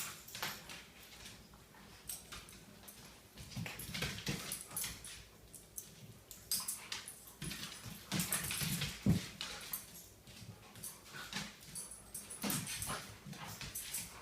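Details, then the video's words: Dogs wrestling together indoors in the morning, giving rough panting grunts, snorts and low growls in uneven bursts amid scuffling and thuds, a person's voice speaking near the end. "My dogs wrestling every morning"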